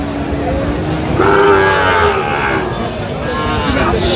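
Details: Young Sahiwal bull calf bought by a farmer at a Chattogram market, Bangladesh, 4 September 2025. A short nasal bellow of under a second sits in the middle, surrounded by continuous human voices haggling and general market noise.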